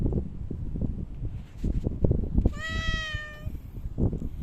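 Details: Outdoor park cat seen after Typhoon No. 6 passed, August 2023; one clear, even meow lasting about a second, starting with a slight upward slide, against steady low rumbling background noise.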